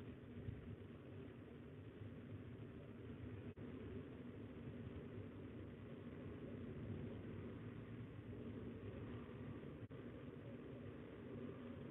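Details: Steady low engine rumble like idling traffic or a distant aircraft, with no animal calls.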